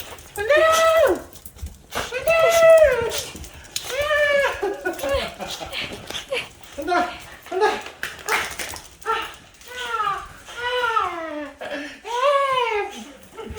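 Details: Dog reunited with its owner after four days apart, excited greeting; long high arched whines and yelps repeated every second or two, rising then falling, with laughing human voices and handling noise throughout.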